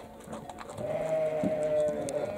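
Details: Domestic sheep from a flock of roughly 40 to 50 animals including lambs: a single long, steady, slightly wavering bleat lasting over a second, with faint background noise and a brief soft thud midway.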